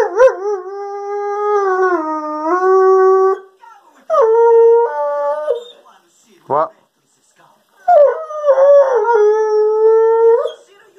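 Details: Doodle, a pet male Weimaraner crossed with a German Pointer, 'talks' in his daily monologue: three drawn-out, wavering howl-moans, each held for one to three seconds with shifting pitch, separated by pauses and a short sharp yip.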